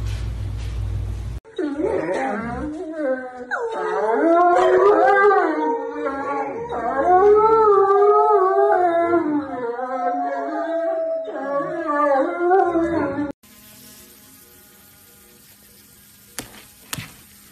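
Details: Dog howling: long wavering, rising and falling tonal howls run for about twelve seconds, then stop abruptly and give way to quiet room noise with a couple of faint clicks.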